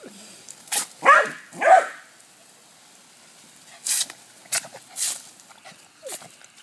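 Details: Pet dog Cody playing with the hose: two firm barks in quick succession, then a series of sharp hissing bursts and clicks with a faint short whine at the close.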